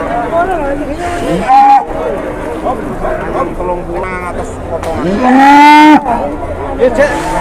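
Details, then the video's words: Jumbo cow at an Indonesian livestock market, slightly rampaging: two drawn-out, harmonic-rich moos, a short one near the start and a louder, longer one toward the end, over voices and chatter from the market crowd and passing vehicle noise. "SAPI JUMBO NGAMUK TIPIS"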